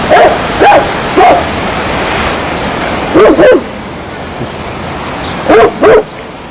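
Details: Dog barking in short loud bursts, mostly in pairs spaced about two to three seconds apart, with a steady background hiss like surf between barks.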